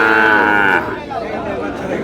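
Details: Sahiwal bull calves at a cattle market in Brahmanbaria on 31 March: a single sustained, tonal moo of under a second, followed by people talking amid market chatter.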